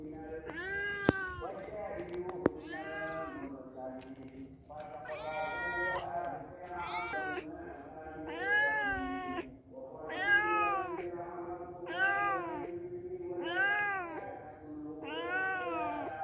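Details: Visiting cats at a house meow in a steady series, roughly a dozen arched, wailing meows coming every second or so, some overlapping and strained, with a couple of sharp clicks near the start.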